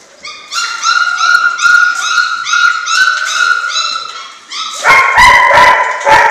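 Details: German Shorthaired Pointer puppies aged six weeks; a long, steady, high-pitched whine holds for about four seconds in pulsing segments, then gives way to a quick run of loud, sharp puppy barks.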